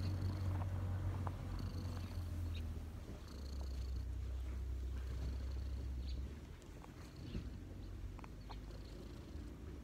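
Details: Relaxed cat lying on its owner's knees purrs loudly and closely, a deep, even rumble that fades somewhat toward the end.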